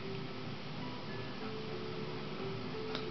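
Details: Soft music with a ticking, clock-like pulse plays throughout, filling an indoor room.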